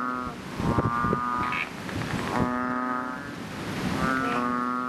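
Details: Chubby frogs in a rain-filled fishpond, giving long, low, droning moans with rich harmonics, one call fading as the next starts, plus a few sharp clicks and knocks.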